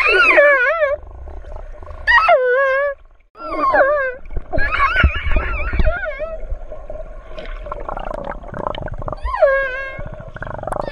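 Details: Orca calls: a series of short, wavering, strongly harmonic squealing cries, each about a second long. They are separated by brief gaps and mixed with buzzy pulsed bursts and a low background rumble.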